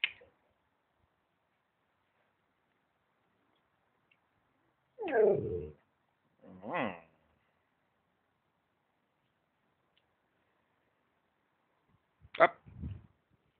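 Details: Oscar, a pet dog, trying to say something: three short, strained, whining vocal bursts with wavering, sliding pitch, two close together around the middle and one near the end, separated by long quiet gaps.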